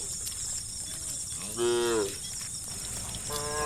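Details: One cow among dozens of tame cattle roaming a road, calling its friends to look for grass, gives a single clear, slightly falling moo midway, with another moo starting at the end over a steady high buzz.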